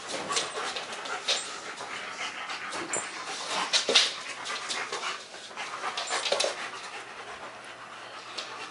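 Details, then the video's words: German Shepherds Max and Ace at play, 14 September 2015, give rough, airy panting bursts, uneven in rhythm, that swell near the middle and then fade to softer breaths. "German Shepherds Max and Ace playing"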